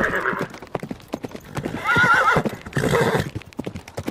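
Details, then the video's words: Horse neighing: a wavering, whinnying cry around the middle, then a shorter second whinny, over steady hollow hoof clip-clops throughout. "Horse Sounds - Horse Sound Effect - Horse Neighing"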